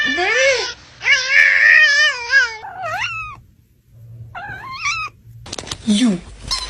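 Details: Cats making weird sounds: long wavering yowls with a wobbling, howl-like pitch, then a short rising squeal, a quiet gap and a harsh, noisy burst of calling near the end.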